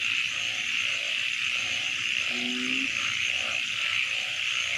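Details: Night frog chorus from a wetland, with rhythmic mid-pitched croaks repeating roughly every half second and a single low, steady droning note near the middle, all set against a constant high-pitched trilling background.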